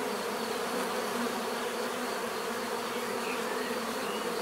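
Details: Swarm-like buzzing of bees, an even, dense hum filling the whole stretch without breaks, occasional faint high squeaks in the background.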